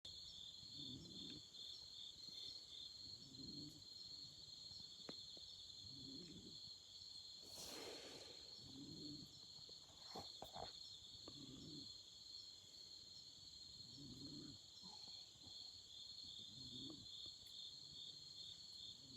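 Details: Autumn insects singing at night beside a campfire: two steady, unbroken high-pitched trills layered together, with soft low thumps recurring about every two and a half seconds and a brief crackling burst near the middle.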